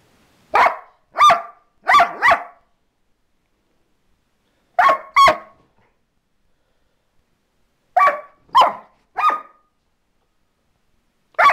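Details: Border Collie barking and snarling at its owner, giving about ten short, sharp barks in clusters of four, two, three and one, separated by brief silences, with no other sounds.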